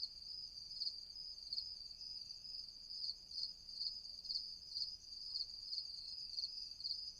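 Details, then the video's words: Night-time crickets: an unbroken shrill, buzzing trill with brighter chirp-like bursts repeating about twice a second, somewhat irregularly. The background is otherwise quiet. "Night Crickets, Night Ambience, Night Crickets sound effect"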